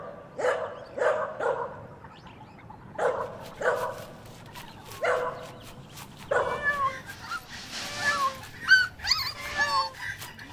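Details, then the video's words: Puppies playing and competing for toys on green grass: short barks in small clusters, followed by higher whining yelps that rise and fall, with a light background hiss. "Puppies Competing for Toys on Green Grass - Funny Dog Sounds"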